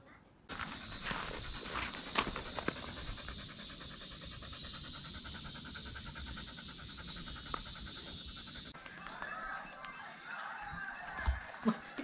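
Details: Golden Retriever named Lulu panting in quick, breathy, rhythmic huffs, about two or three per second, over a steady high-pitched hum that cuts out near the end, followed by a few knocks and handling noises.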